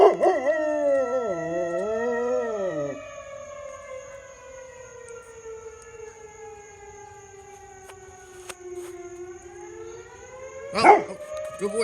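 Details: Dog howling along with a fire engine siren while people cheer it on: a wavering, undulating howl for about three seconds, then a long descending siren wail that rises again near the end.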